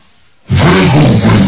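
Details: Tibetan Mastiff dog growling: silence, then an abrupt loud, deep, rough growl held steadily for about a second, with strong low rumbling harmonics.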